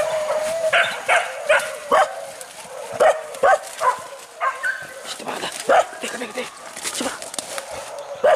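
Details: Hunting dogs in pursuit of wild boar through forest, giving repeated short yelps and bays at irregular intervals, several dogs calling over one another while people talk in the background.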